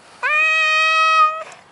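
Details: Maine Coon cat giving a single long, steady meow of about a second and a quarter, clear and strongly harmonic, with a brief scoop up at the start and an even tone to the end.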